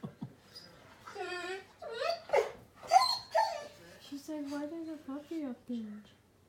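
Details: Golden Retriever, a pet dog, spooked on seeing itself on TV indoors: high, wavering whines with stacked tones rising and falling in the first two seconds, then a woman talking over softer whimpers.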